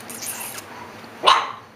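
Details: An Alaskan Klee Kai puppy, one of several pups playing indoors, gives a single sharp, bright yip after a moment of quiet.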